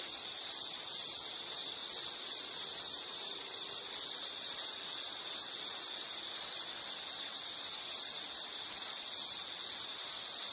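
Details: Nature sound of an insect: a long, shrill, even series of pulsed chirps at one high pitch, repeating steadily for about ten seconds over quiet background noise.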